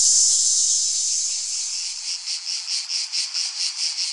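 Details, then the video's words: A cicada's high buzz starts steady and loud, then fades a little and breaks into rapid rhythmic pulses, about two to three per second. "Tiếng ve sầu kêu || The sound and picture of the Cicada"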